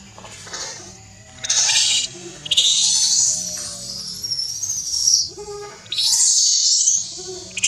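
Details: Newborn baby monkey Leo, very hungry and angry, crying to beg milk from its mother Libby: loud, high, thin squealing wails that waver and bend upward, coming in long bursts with short breaks.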